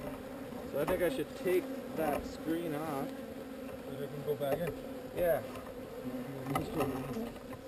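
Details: Swarming honey bees during relocation, their layered drone rising and falling as bees sweep near, giving wavy, shifting buzz tones over a constant low hum.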